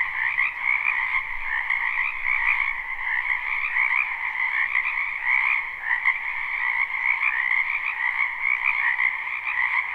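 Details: Spring wetland frog chorus recorded live: many frogs croaking at once in a steady, unbroken wall of rapid pulsing trills, with a faint low rumble in the first two seconds.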